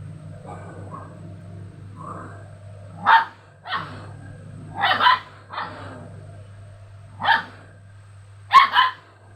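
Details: Pet dogs responding to an odd played sound start with soft, muffled woofs, then burst into loud, short barks in pairs, with pauses of a second or more between volleys.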